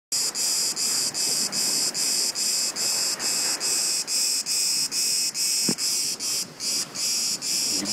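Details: Cicada singing unseen near a beach: a loud, harsh, high-pitched buzz pulsing about two to three times per second in steady, even bursts, with a faint thump partway through.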